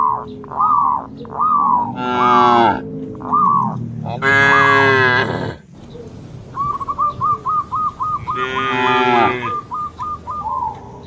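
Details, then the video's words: Herd of cattle bounding across a field path border in green rice paddies; three drawn-out, harmonic moos stand out among a steady run of short repeated whistled notes. "Suara Sapi Lucu,sapi moo"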